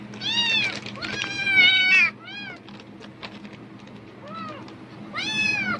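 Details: Cat responding strongly to plastic bag rustling, apparently in hope of food: a rapid series of loud, bent, harmonic meows, two overlapping near the start, then shorter falling mews and a final long meow after a quieter gap.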